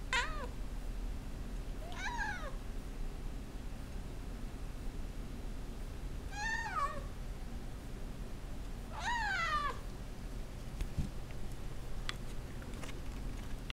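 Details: A hungry, recently desexed male Russian Blue cat meows for his dinner indoors. Four drawn-out, wavering meows come at uneven gaps over about ten seconds. Quiet follows, with a few small clicks.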